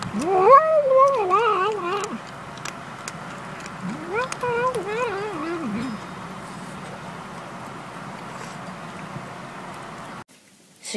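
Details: Cat making a 'yum yum yum' or 'nom nom nom' sound while eating, from a compilation of cats and kittens. Two bursts of rapid, wobbling, sing-song meows, each about two seconds long, are separated by a pause, followed by quiet room noise.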